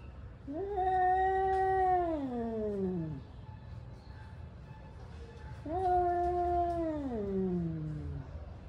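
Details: Angry male cats warming up for a fight: two long, drawn-out yowls, each steady at first, then sliding downward into a low moan, with a quiet pause between them over a low background hum.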